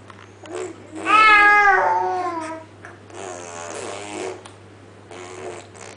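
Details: Munchkin cats Max and Audrey, indoors, Max talking while Audrey answers: a loud drawn-out meow with a wavering, slowly falling pitch, followed by quieter breathy vocal murmurs and short noisy bursts.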